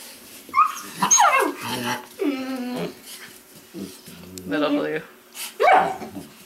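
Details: Weimaraner puppies from a litter out of Indigo and Magnum, giving high squealing whines and yelps that slide downward, in several bursts over six seconds, with human voices mixed in.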